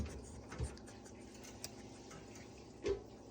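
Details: A quiet indoor room with only faint ticking, soft clicks and a few brief knocks, and no animal voice.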